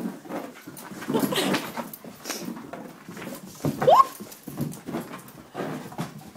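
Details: Mako, a male Vizsla, still wound up indoors after an 8K run: a string of scuffling, snuffling bursts and a short rising whine in the middle, with a person's voice faintly mixed in.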